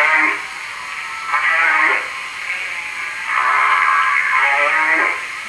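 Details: Humpback whale song recorded in Hawaii, played back indoors during a lecture at the Morro Bay Museum of Natural History, California, on 27 December 2006. Harmonic moaning units swell and fade in three bursts, some ending in a brief upward sweep.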